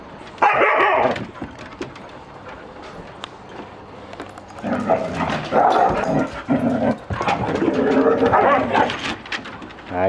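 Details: A young male Siberian Husky, from a litter born late last year, just reunited with his mother, father and brother, gives a brief yelp, then a long run of wavering, talkative howl-like moans amid excited chaos.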